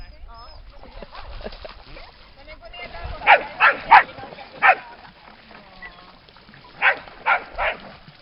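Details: At the lake in Lida Nature Reserve on a summer day, voices come first, then dogs break into a run of four barks, a pause, and three more quick barks.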